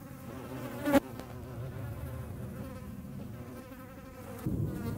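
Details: Hornet hunting flies, its flight a continuous humming drone with stacked tones. A sharp click comes near the first second and the buzz swells again toward the end as an insect passes close.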